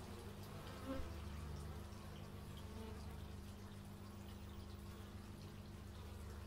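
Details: Buzzing bees caught outdoors on an x/y stereo microphone: a steady low hum underneath, with a short louder flyby near the start and occasional rising and falling whines from passing insects.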